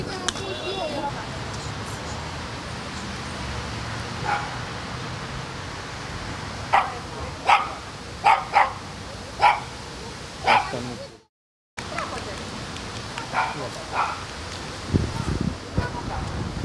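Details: During feeding at the Constanța Dolphinarium, John the California sea lion gives a run of five abrupt barks in quick succession midway through, with people talking and hall noise around, then a brief silence and fainter sounds.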